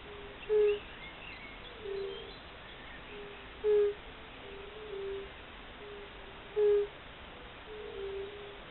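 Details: Fire-bellied toads calling in spring: soft, mellow, hooting notes. Several callers overlap, each note repeated every one to three seconds, some louder and nearer than others. Faint birdsong sits in the background.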